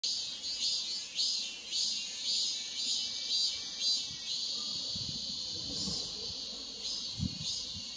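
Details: In summer in Korea, a cicada's high, hissing buzz pulses steadily, swelling roughly every two-thirds of a second.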